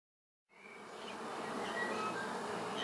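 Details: Honey bee swarm being moved into a new hive. A dense, steady buzzing hum swells in after half a second and holds evenly to the end.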